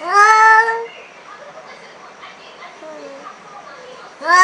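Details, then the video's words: Angry black cat confronting an unfamiliar cat for the first time: one strong, tonal wail at the start, a stretch of faint low mutterings, then another yowl beginning at the very end. "Cat angry sound"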